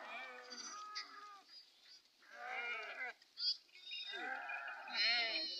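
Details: Sheep from a Telangana flock driven into the forest to graze, several overlapping wavering, harmonic-rich bleats rising and falling in quick succession, with short gaps between groups of calls.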